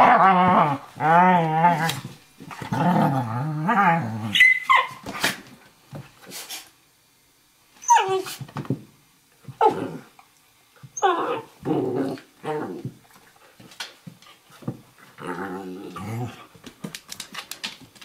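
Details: Two dogs play wrestling on a kitchen floor, Eurohound puppy Firenza at about 11 weeks and 4.5-year-old Nova Scotia Duck Tolling Retriever Brio: fierce-sounding rolling growls, sharp yips and a bark, a brief pause, then scuffles and more growling, all in play.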